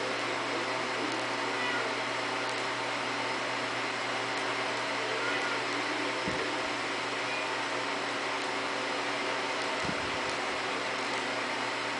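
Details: Only a steady indoor hum, like a fan or air conditioner, fills the room. A couple of faint thumps sound near the middle, and no animal voice can be heard.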